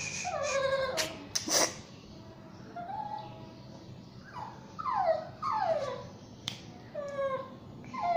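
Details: Basuki, a Shih Tzu and Yorkshire Terrier mix dog, cries while being bathed indoors: a run of high, falling whines with clear harmonics, several sliding down in quick succession, with brief sharp knocks between them.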